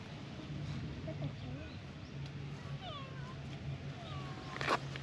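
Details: Brown tabby-and-white cat by a beautiful waterside on a hot day, talking: faint, soft meows with short gliding, curving pitch, scattered through the stretch over a steady low hum and background noise.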